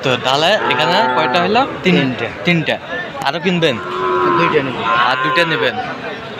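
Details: Among Sahiwal bull calves purchased by a Khulna farmer in Bangladesh on 7 January, a long, wavering low moo swells midway, partly overlapped by nearby human voices and general outdoor bustle.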